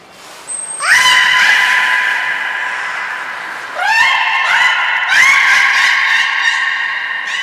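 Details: Beluga Nana in training at Port of Nagoya Public Aquarium, April 2019. Three loud, upswept harmonic calls, each sliding up and then held as a bright, nasal drone, with the last one the strongest.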